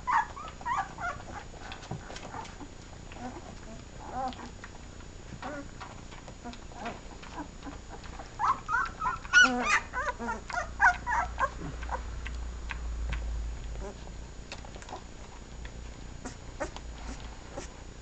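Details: Week-old puppies of a kennel's first litter feeding at the teats; frequent thin, rising whimpers and squeaks, bunched into a dense, louder flurry midway, with rustling and a low rumble of handling.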